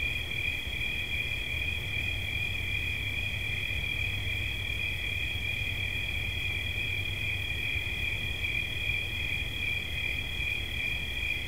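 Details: Cricket song, a long even high-pitched ringing trill with a slight shimmer, sustained throughout over a quiet low hum.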